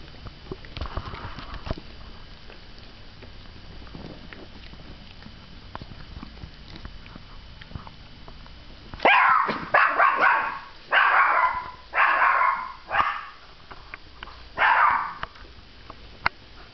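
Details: A pet dog, Princess, described as barking at everything and finding her voice; about nine seconds of quiet indoor background, then five loud, harsh barks in quick bursts over roughly six seconds.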